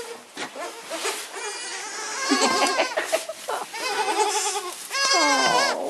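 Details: Baby goats bleating in overlapping, wavering calls, several voices stacked with rich harmonics, some calls sliding downward, a loud sustained bleat at the end.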